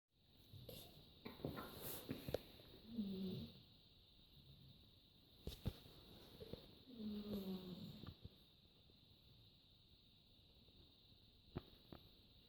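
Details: Pet dog asleep indoors, snoring softly: two breathy rasping snores with a faint tonal whine near the low-mid range, separated by quiet pauses and a few small clicks.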